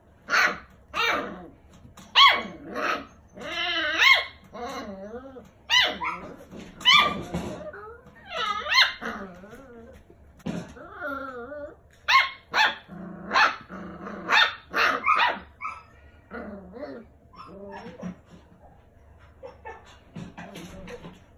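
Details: Two rescued six-week-old puppies, a brother and sister fostered after being found alone at five weeks, play and bark: a dense run of short, high yappy barks and squeaky yelps, some growly, with occasional human speech.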